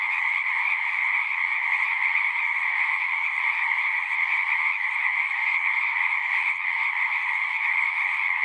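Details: A mass of frogs calling together, their overlapping voices fused into a constant, ringing buzz with slight flickers of individual calls.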